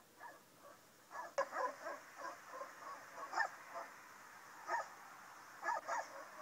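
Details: Two Rottweilers locked for at least three days in a car on a Rennes parking lot, France, one muzzled and one with its snout taped, bark when approached: short stifled, nasal bursts in uneven groups, some doubled, over steady background hum.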